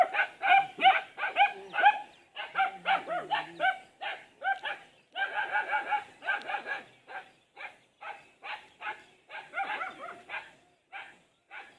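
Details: Pet golden retriever giving a rapid string of short, yelping barks, first tumbling out in quick clusters, then slowing into evenly spaced single yaps; quiet with a clean background.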